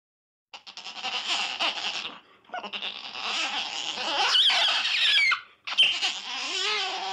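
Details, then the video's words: Otter giving dense runs of high, shrill squeaks and chirps, rapid and uneven, some notes sweeping up and down, with a brief pause near the middle and little else in the background. "Otter Sounds Effect"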